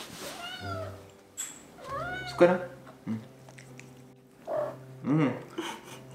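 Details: Indoor kittens that follow their owner to the kitchen, crying for food and answering when spoken to, one a gold British Shorthair; several short arching meows between a woman's soft Korean speech, with light kitchen clatter.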